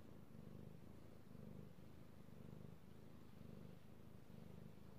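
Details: Purring of Io, a pet kitty cat who loves being petted, recorded 3/16/18; deep rumbling purr pulsing roughly once a second in alternating in-and-out breaths, soft and even.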